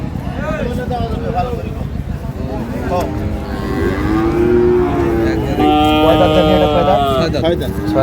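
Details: Dairy cow of an improved breed at Ambari Haat cattle market in Dinajpur, 9/3/25: long, rich bellowing moos swelling louder in the second half, over a busy background of voices and market noise.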